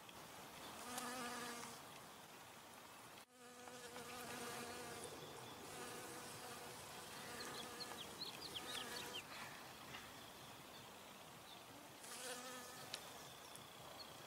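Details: Honey bees collecting from flowers hum steadily, a low, droning buzz that swells and fades as they pass close.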